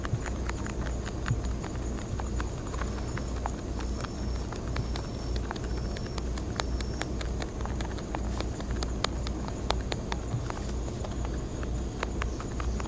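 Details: Wild rabbits of Okunoshima island, Takehara, Hiroshima Prefecture, Japan, feeding eagerly on timothy hay. Rapid brittle crackling bites repeat throughout, with faint thin high whistles in the middle and a constant low rumble.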